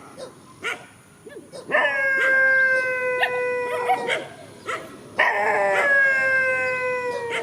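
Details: A pair of countryside dogs in a field, facing each other: a few short barks lead into two long howls, each sustained several seconds with a slow downward drift, gaps filled by scattered yips.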